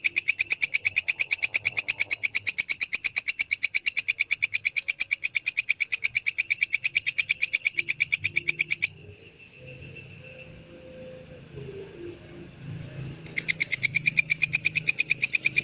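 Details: Original belalang kecek grasshopper masteran for training songbirds, with pauses between phrases: a long train of fast, evenly spaced high clicks lasts about nine seconds, stops for several seconds of quiet murmur, then restarts.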